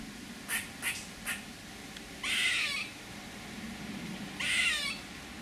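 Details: Three quick soft ticking sounds, then two longer harsh, wheezy rasps from a squirrel about two seconds apart, over low background rumble.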